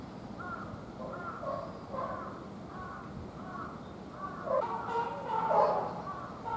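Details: Captive young serval at Higashiyama Zoo, born 29 May 2020 and recorded 17 December 2020, giving soft, spaced nasal calls that grow louder and more crowded toward the end, over a quiet background.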